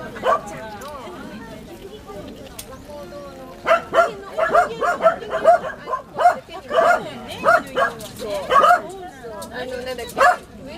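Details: Welsh Corgi puppies Milk and Kokoro filmed with a GoPro HD HERO2; after a few seconds of quieter sound and talking, a busy stretch of rapid high-pitched puppy yaps follows, tumbling over each other.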